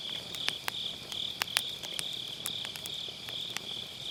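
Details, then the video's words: On an autumn night, grass insects sing beside a bonfire, recorded through an MKE600 microphone with low-cut: a bright, high insect trill pulses steadily, overlaid by clusters of crisp crackling from burning logs. "가을밤 풀벌레 소리"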